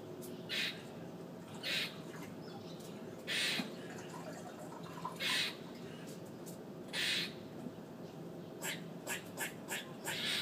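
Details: Harsh squawks from a squirrel on a fire escape arrive as five strong bursts at uneven intervals. A quick run of softer, clicking chatter follows near the end, with steady hum underneath.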